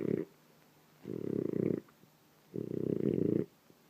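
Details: Sleeping French Bulldog snoring in the morning; rough, rattling low snores, one breath about every one and a half seconds, separated by quiet gaps.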